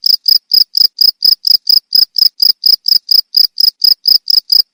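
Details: Cricket sound meant for tutoring caged songbirds, a fast regular series of bright high-pitched chirps, roughly four each second, uniform in loudness over a quiet background.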